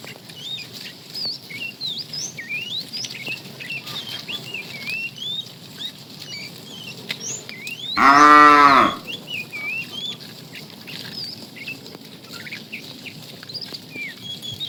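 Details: Afternoon herding of tame cows; a fat cow calls the female with one loud, roughly one-second moo halfway through, while many small birds keep chirping and whistling throughout.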